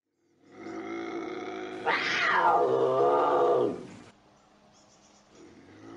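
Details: Bobcat howl that starts as a low harmonic moan, swells into a loud screeching wail sliding downward, then fades out after about three seconds.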